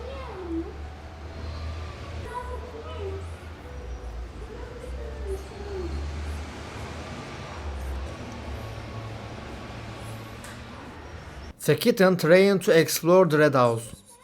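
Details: Abandoned kitten, rescued after two days frozen in -11°C snow, gives thin wavering meows, rising then falling, over a steady low hum, followed near the end by a burst of louder, harsh harmonic cries.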